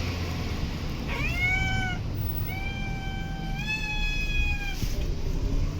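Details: Stray cat in a city park or street giving two clear, drawn-out meows, each with a bright layered tone, the second long and level before dropping, with distant traffic rumbling underneath.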